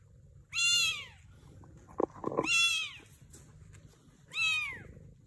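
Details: A mother Sphynx cat, with kittens nearby, gives three clear, high meows, each rising slightly then sliding down, about two seconds apart.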